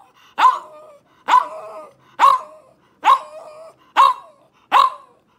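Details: French Bulldog barking: six sharp, loud barks about once per second, each a bright burst that trails into a short lower, hoarse tail, steady and evenly spaced, with no other sounds around them.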